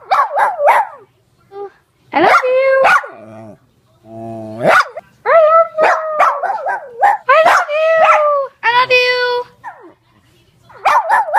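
A Cairn Terrier gives a run of sharp barks mixed with drawn-out, whining yowls.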